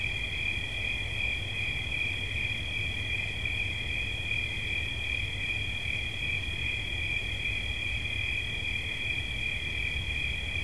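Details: Continuous high-pitched cricket song, a dense, even trill on two closely spaced tones that never breaks, over a gentle low background rumble.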